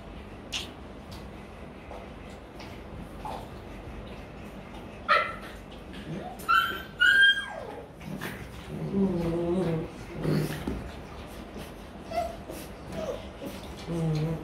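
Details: Rottweiler puppies play-biting and wrestling indoors in Vietnam; high sliding whimpers and yips around the middle, then low growly grumbles, scattered knocks and thumps between the calls.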